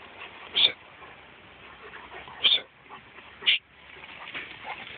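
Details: Rhodesian Ridgebacks in Mombasa, recorded on an Android phone: three short, high, sharp yips, spaced about one to two seconds apart, over a steady background hiss.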